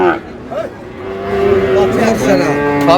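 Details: Sahiwal breed bull calf among cattle bought by a Chattogram farmer, 28 August: a steady, sustained lowing tone stretches through the second half, with vehicle noise and men's voices nearby.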